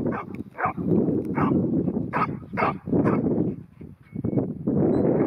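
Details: A ten-month-old female New Zealand Huntaway barking: a run of deep, rough barks, about one or two per second, with brief pauses between short bursts.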